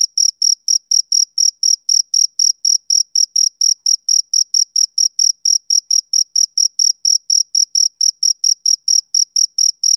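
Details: Summer-evening song of a male cricket: sharp, high, ringing chirps repeated steadily about four times a second, clear and isolated with a silent background.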